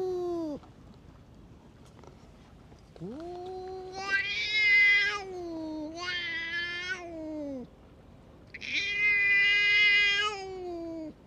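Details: Tough stray cat picking fights with the cats around it, giving long wavering yowls: a brief low wail, then three extended harsh howls that swell and sag in pitch, each several seconds long with brief pauses.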